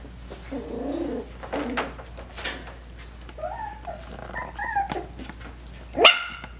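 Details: Coton de Tulear puppies, five weeks old, indoors: soft low grunts early on, then several high, curving whines that rise and fall, ending in one sharp loud yip.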